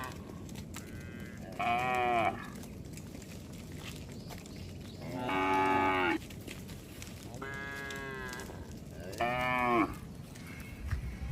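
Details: Cattle roaming on a road, a series of four moos of varying pitch spread across the clip, each about half a second to a second long, over steady outdoor background noise.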